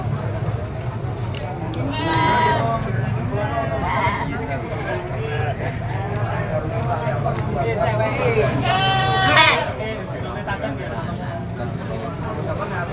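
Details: Young goats bleating at a busy goat market where male goats are sold. Two loud, wavering, nasal bleats stand out over steady crowd chatter and engine-like rumble.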